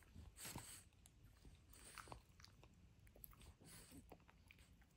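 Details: Benedict the French Bulldog demolishing his toy dinosaur, recorded as ASMR: wet crunching bites and gnawing clicks come in quick bursts, with a dense cluster near the start and softer chomps after.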